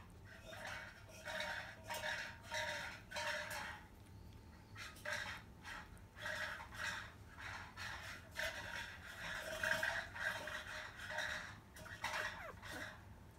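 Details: Five-day-old field-line Labrador Retriever puppies nursing at 10 a.m. from their mother biscuit, 2017 JFA Grand Champion, indoors. Short harmonic squeaks and grunts come in bursts roughly every second over a steady low hum.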